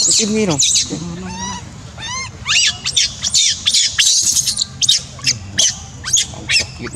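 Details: Crying from a monkey: quick wavering whimpers at the start, then a run of harsher, noisy squeals and sharp bursts in rapid succession, over faint low background noise.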